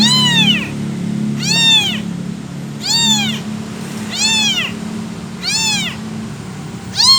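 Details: Motherless, abandoned kitten calling for its mother with six thin, high meows that rise and fall, repeated roughly every 1.3 seconds, with a steady low hum beneath.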